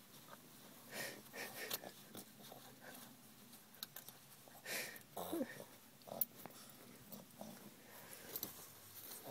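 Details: Pet female Boston Terrier freaking out over her winter jacket, struggling to remove it herself; breathy wheezing snorts and grunts come in irregular bursts amid scuffling and fabric rustle.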